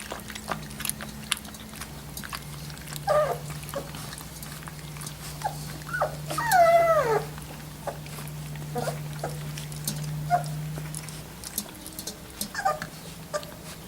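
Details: Three-week-old Labrador Retriever puppies: a single drawn-out, wavering whine slides downward near the middle, with a few short squeaks before and after, over soft clicking and rustling and a low steady hum.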